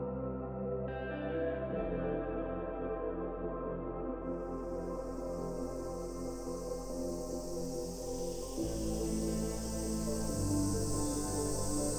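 Soft ambient music with sustained, layered tones and no animal voices.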